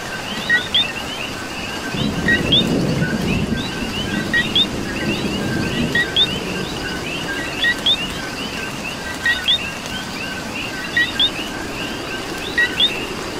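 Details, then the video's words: Coquis in Puerto Rico keep up an overlapping chorus of crisp two-note whistled chirps while rain falls steadily; a deep rumble surges early on, then the frogs continue over the hiss of the rain. "Coqui and Rain"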